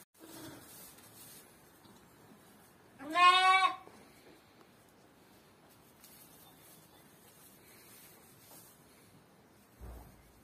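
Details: One quavering, tremulous sheep bleat rises briefly above quiet background hiss, with a soft low thump near the end.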